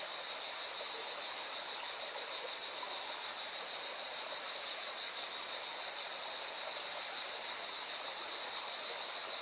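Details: In Spain's Valencia region, singing cicadas keep up a steady, piercing buzz with a quick, regular shimmer throughout, while a mountain river roars as a dense, even wash of water noise beneath.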